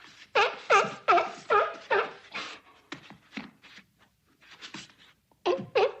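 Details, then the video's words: A seal gives loud, hoarse barks in quick bursts, several each second, along with flipper clapping. "Seals Barks And Flippers Clap Sound Effect"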